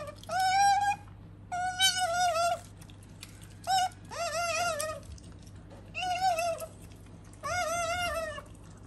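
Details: Pet otter Sakura, a female, calls indoors with five drawn-out whining cries of about a second each, each bending up then sliding down, separated by short pauses, with a faint constant hum behind.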